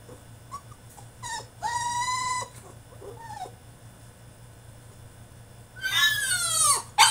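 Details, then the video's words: French Bulldog throwing a tantrum in his cage: a short whimper, then a long high whine with a level tone, and a loud falling whine near the end, with quiet gaps between. "FRENCH BULLDOG THROWS TANTRUM IN HIS CAGE!!"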